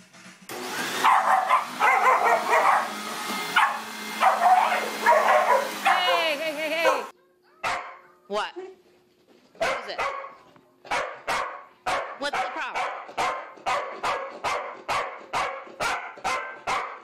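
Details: Corgi barking at home while a vacuum cleaner roars for the first seven seconds; after a pause comes a steady series of sharp, evenly spaced barks, about two per second, for the rest of the recording.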